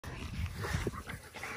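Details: Two male American Bully dogs fighting over breeding rights, giving low, rough, rumbling growls and snarls that fade briefly before picking up again at the end.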